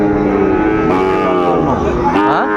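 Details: Young Sahiwal bull calves, five to six months old, on sale at Dinajpur's Ambari cattle market in Bangladesh, 23 February 2026. A strong harmonic bellow bends downward and then swoops upward, with buyers and sellers talking close by.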